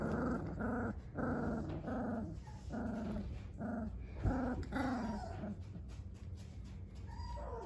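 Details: Dogo Argentino puppies at three weeks old growl in short harmonic bursts, roughly two per second, each a throaty rising-falling grumble, with a low steady hum underneath in a small room.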